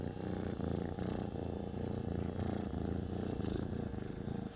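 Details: Close, continuous low purr of a pet cat, a dense rumbling hum pulsing gently with its breathing over a few seconds.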